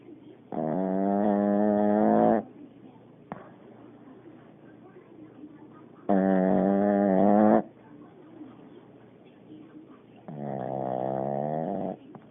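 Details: Loud snoring from a sleeping Pekingese. Three long, droning, harmonic breaths of about one and a half to two seconds each come roughly every four seconds, with soft raspy exhales in the gaps.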